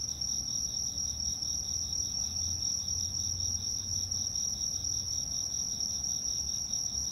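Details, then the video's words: Insects in autumn trill steadily together in a high, shimmering chorus with no pauses. "秋の虫の声(37秒) The sound of insects in autumn (37 seconds)"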